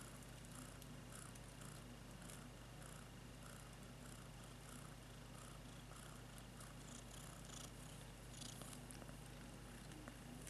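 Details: Domestic cat purring in a steady, continuous low rumbling throb that holds unbroken throughout, with a faint background hiss.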